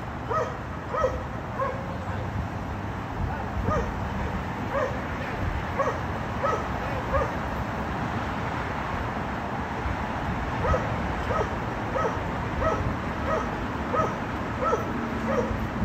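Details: Dogs barking at a condominium, described as unbearable noise occurring three times a day; a long run of sharp barks, some overlapping as though from more than one dog, repeated throughout over steady low background noise.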